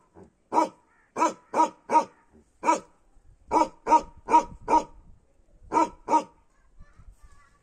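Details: A Bakharwal dog from Kashmir gives deep, rough barks in irregular bursts of two to four.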